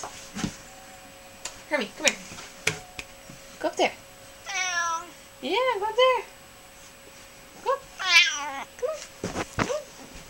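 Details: Hermy, a sassy pet cat who complained loudly when upset, meows indoors: several long harmonic wavering cries mixed with clicks, thumps and a person speaking.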